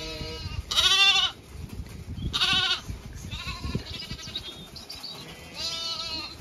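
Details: Zwartbles sheep flock on a regenerative farm in County Kilkenny, Ireland, moving to windcharger field for cool late afternoon grazing; loud harmonic bleats at one and two and a half seconds, another near six, over steady wind rumble.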